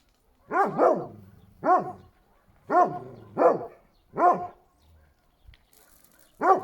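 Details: Šarplaninac dog giving single, resonant, harmonic-rich barks spaced roughly one second apart, each with a slight rise and fall in pitch, with short quiet gaps and faint background noise.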